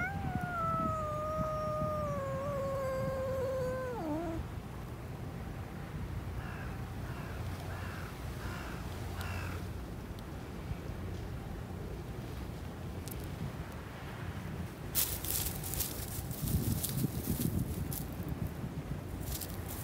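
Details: Wild raccoon dog calling after missing its footing, a sound read as embarrassment; a long, clear whining tone drifts slowly downward for about four seconds, then breaks off, followed by faint short notes over steady background hiss and a few sharp clicks.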